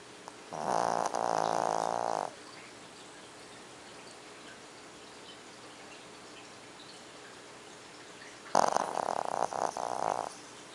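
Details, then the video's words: Lucky, a female pet dog, snoring while asleep: two rattling, vibrating snore breaths almost two seconds long, about six seconds apart, with a quiet hiss between them. "My Dog Lucky Snoring When She Is Sleeping"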